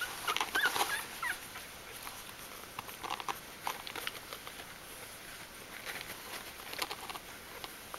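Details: Bichon Frisé puppies in their litter at Vejles Lille Kennel; a few brief, thin, high whimpers in the first second and a half, then soft shuffling and rustling noises in the litter box.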